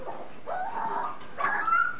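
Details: Nursing three-week-old puppies from the Z-Litter: two drawn-out squeaky whines, the first sliding upward, the second higher and tonal, steady against a quiet background.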